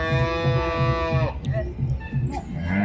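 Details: Jersey cow at a wholesale cattle market giving a long, steady, richly harmonic moo of just over a second, followed by market chatter and a low rumbling background.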